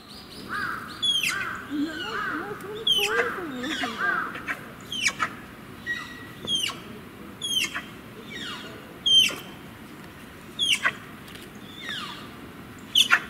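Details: Malayan tapir at Tama Zoological Park, Japan, where a parent and young tapir are kept together, crying a surprisingly high "pee pee": thin, sharply falling squeaks repeated roughly every second, sometimes doubled, over a low background murmur.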